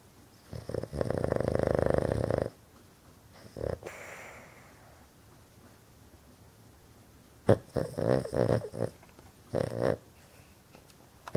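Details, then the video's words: Sleeping Boston terrier, a loud habitual snorer, eyes open during sleep, indoors. Long rattling snore of about two seconds, then a short one, a quiet stretch with a faint hiss, and later several shorter raspy snores. "Freaky Snoring Boston Terrier"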